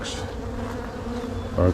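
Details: Honey bees humming while a beekeeper inspects a hive being split in spring, near queen cells in the bottom box; a steady low drone with a louder burst at the end.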